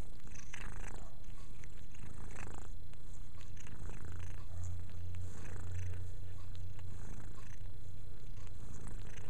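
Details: Steady low purr from pet cat Mia while she cleans herself, strongest in the middle, with light licking sounds and a person speaking affectionately nearby.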